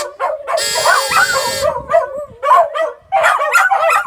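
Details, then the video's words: Several dogs howling together: wavering, tonal howls mixed with short yips and yelps in overlapping bursts, with a harsher, buzzy stretch near the start and brief pauses between outbursts. "DOGS HOWLING!"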